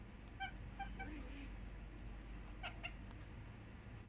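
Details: Domestic cats chattering at birds, recorded 4 July 2020: a quick run of four soft, ringing chirps in the first second and a half, then a brief cluster of sharper clicks, over a steady low indoor hum.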